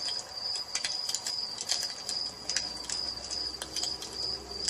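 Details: Crickets at evening beside a fireplace, a steady high-pitched continuous trill holding one even tone throughout, with frequent sharp crackles and pops of burning wood scattered over it.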